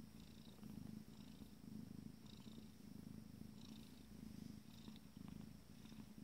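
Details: Fourteen-day-old Abyssinian kittens of a first litter purring while content; continuous low throbbing purr swelling and easing with each breath about once a second, with soft scattered higher rustles.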